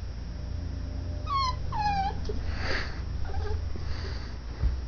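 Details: Dachshund puppy, female, indoors, whining to be cuddled instead of sleeping in her own bed: two short high whimpers that slide downward, then a softer breathy whine and quieter yelps over a steady low hum.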